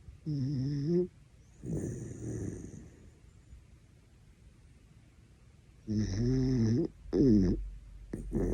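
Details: Dachshund Horongi snoring hard enough to wake a person: a repeated run of buzzy, droning snores with wavering pitch, each about a second long, a softer breathy one between, then three snores in quick succession near the end.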